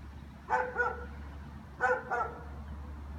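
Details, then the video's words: German Shepherds barking through the afternoon: two pairs of quick, strongly harmonic barks about 1.3 seconds apart, over a steady low hum. "German shepherds barking"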